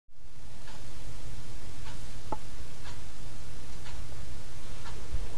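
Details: Soft clock-like ticks roughly once a second over a low electrical hum in a quiet room, with no animal voice.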